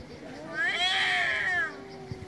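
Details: Loud meow from an angry cat: one sustained, bright cry lasting about a second. It rises, holds strong in the middle and falls away at the end, with faint background hiss.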